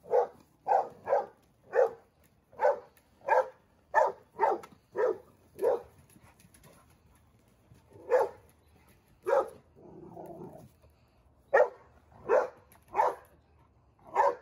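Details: Young male Dogo Argentino, seven months old, barking in anger at something new. A quick volley of deep, punchy barks comes first, then slower single barks with gaps, and a soft muffled rumble in the middle.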